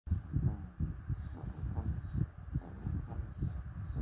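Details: Dog making a weird breathing sound: low, rough, rhythmic snuffling pulses about every half second, with faint high chirps in the background.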